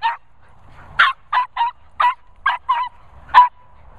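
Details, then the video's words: Border Terrier meeting two Cocker Spaniels, giving a run of sharp, high yapping barks, about eight short bursts in four seconds, irregularly spaced with brief pauses, one louder bark near the end; quiet background. "Border Terrier Noisy"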